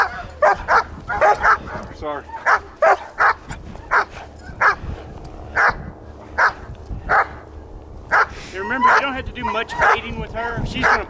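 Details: German Shepherd in bite training giving repeated sharp barks in bursts, with a person talking in between and a whimpering, yelping stretch near the end.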